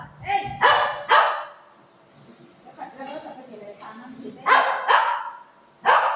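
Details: Buzo, a household dog upset with its owner, gives pairs of harsh barks at the start and end, with a woman's voice talking in the quieter middle.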